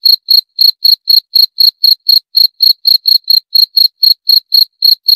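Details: Steady, shrill cricket chirps repeated roughly four times a second, each pulse short and bright, continuing without pause against a silent background.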